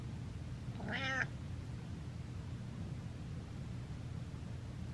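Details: Domestic cat meowing while controlling its owner: one short harmonic meow of about a third of a second, then quiet room hum, with a man talking just before and after.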